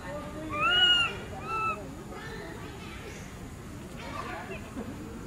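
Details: Baby monkey named Berry crying loudly for its mother: two high, thin whistled cries, the first longer and slightly falling, the second short, followed by murmuring voices and background noise.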